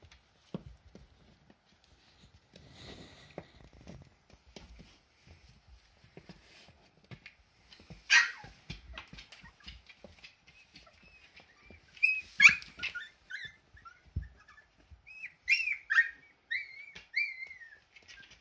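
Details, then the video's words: Siberian Husky puppies, still learning to walk and taking their first steps indoors. Soft rustling and light thumps give way to clusters of thin, high, squeaky whimpers and short squeals in the final six seconds. "Щенки Хаски Делают Первые Шаги"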